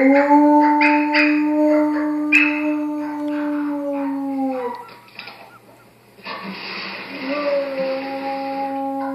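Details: An Estrela Mountain Dog howls at a puppy on TV, giving a long, steady, mournful howl, then starting another after a brief pause.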